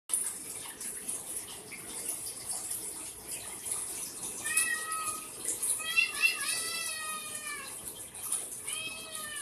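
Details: Cat meowing in a series of drawn-out, tonal meows, each slightly bending in pitch, coming in three bursts in the second half, over a steady high hiss like running water.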